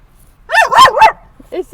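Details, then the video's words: Dog at a San Diego dog park, barking at other dogs at sunset: three arching, yelping barks run together, then a softer short yip, with a person talking nearby. "Barking at Every Dog!"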